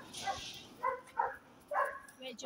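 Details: Jack Russell Terrier, excited to see his mate again, gives three short, high, tonal yips roughly half a second apart, then a softer fourth yip, over a quiet background.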